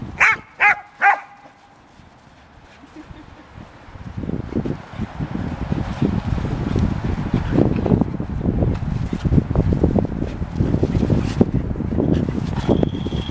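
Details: Three quick, clear barks open the play session between one-year-old Golden Retriever Selma Verona and Australian Shepherd Vili, followed by a long stretch of low rumbling, scuffling movement noise with no further barking.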